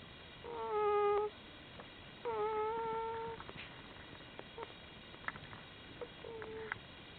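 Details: Newborn Komondor puppies, one day old, of litter F make two clear harmonic whines of about a second each at the start, followed by small clicks and a fainter, shorter whimper near the close.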